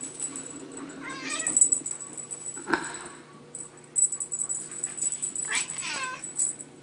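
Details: Bengal babies playing with a teaser give two clear meows about four seconds apart, each a rising then falling wail, with a bright toy jingle running throughout and faint voices.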